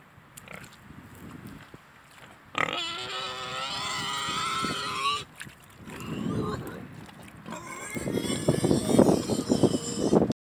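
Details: A pig among two pot-bellied pigs and two Mangalicas gives a long, steady, harmonic squeal lasting over two seconds, then a shorter squeal, followed by a run of loud, harsh, rapid grunts.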